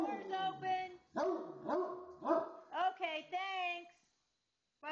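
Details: Pet Great Dane Moe joining the goodbyes to a departing visitor with a string of short barking yowls, each swooping in pitch, roughly two per second, ending in a longer wavering moan; people talk indoors.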